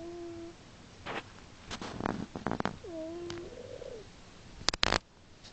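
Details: Earle, a female pet cat, snoring while asleep, recorded March 2010: whistled nasal tones, each a low tone with a fainter higher one, open and close the clip, broken by sharp broadband knocks and rustles.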